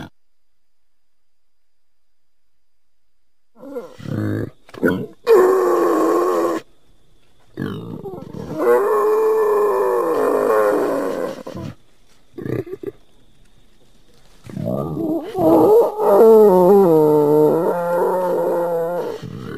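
A wild boar gives harsh grunts and drawn-out, wavering squeals in bursts.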